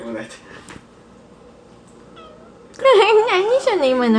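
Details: Kitten meowing indoors because it wants to climb onto the fridge: a faint short mew, then loud, drawn-out meows whose pitch wavers up and down, repeated in close succession over the final second and a half.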